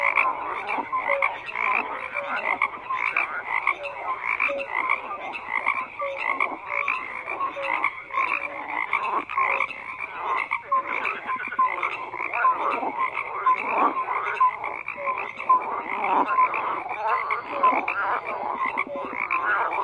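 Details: A steady mass of croaking frogs, countless rough pulsed calls stacked together into a continuous grating chorus with occasional clearer notes rising above.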